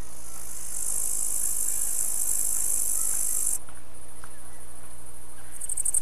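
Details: Songs of two bush-cricket species, a tailed and a green one: a high, hissing buzz runs steadily for a few seconds, then resumes with a pulsed texture.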